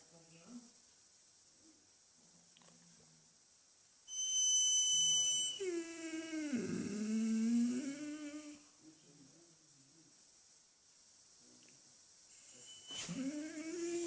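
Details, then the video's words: A dog making a weird noise: a whining cry that slides down from high to a low, wavering moan over about three seconds. Steady high electronic tones come just before it, and a short rising whine follows near the end. "Dog making wierd noise"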